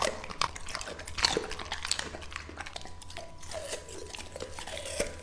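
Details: Lucky, a two-and-a-half-year-old male English Labrador Retriever, eating raw meat indoors: wet crunching and biting in irregular bursts, sharp clicks of teeth, a steady faint hum in the background.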